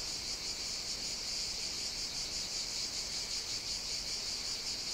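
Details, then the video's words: On Evia, a Greek island, cicadas sing through a hot summer day; a constant shrill, hissing drone with faint rapid pulsing fills the whole stretch, loud and unvarying. "Cicadas Sing On the Greek Island of Evia"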